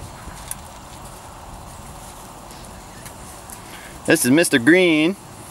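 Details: Three-to-four-week-old Weimaraner x Vizsla puppy from a litter. After a long quiet stretch comes a brief burst of wobbling, quavering whines near the end, with faint outdoor background noise throughout.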